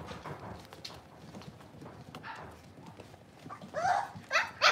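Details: Playful Cavalier King Charles Spaniel puppies raised in a house pen: quiet scuffles and small squeaks, then a burst of three loud, high, sharp puppy yelps in the final second.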